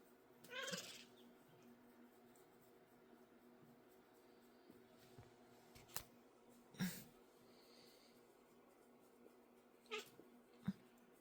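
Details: An 8-week-old male kitten gives short, scratchy squeaks and chirps, spaced several seconds apart over quiet room noise.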